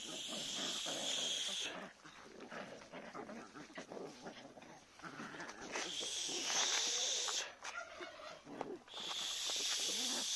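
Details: Two-month-old Jagd terrier and Jack Russell terrier puppies in training: thin, high squealing whines in bursts near the start, the middle and the end, with softer scuffling and murmurs between.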